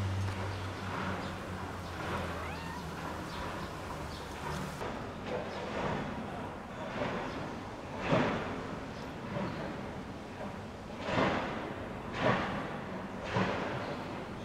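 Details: Mother cat with playful kittens on an Istanbul street, filmed from a distance while she nurses and keeps watch, meowing to them. Short harmonic meows come in a loose series about once a second in the second half, over low background rumble.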